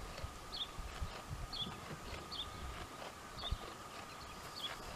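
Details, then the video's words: Jamahl and Laila, a pair of dromedaries, chew the cud at ease, producing steady muffled grinding thuds about once a second, while a small bird repeats a short high chirp several times nearby. "Chewing the cud"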